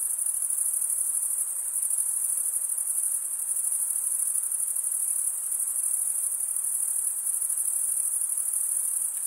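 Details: Continuous high-pitched chirping from crickets, males rubbing toothed wing edges together, blends into a constant shimmering buzz with subtle rapid pulses and no pauses, nothing else audible.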